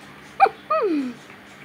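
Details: Rottweiler shown in an attack, running fast as if chasing someone: one short sharp yelp, then after a pause a longer tonal whine that slides steadily downward in pitch and fades, over a low steady hum.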